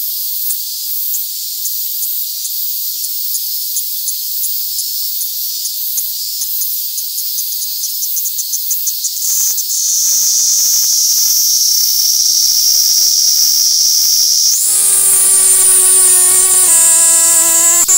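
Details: A Kaempfer cicada (Platypleura kaempferi) held in the hand in Tokyo, Japan, on August 3, 2021, sings a high, hissing buzz that pulses rapidly, then runs into a steady drone.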